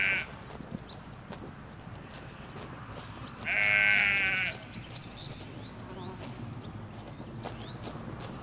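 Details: Field of sheep, ewes and lambs, in rural Hampshire, England, taped from a hedge line: a brief bleat cut off at the start, then one long, strong, wavering bleat lasting about a second, with quiet birds chirping behind.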